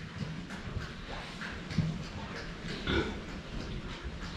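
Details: Pigs known as 最後ちゃんズ drinking water, recorded from the front: soft low grunts scattered through wet slurping and splashing, with a louder grunt near two seconds and another near three.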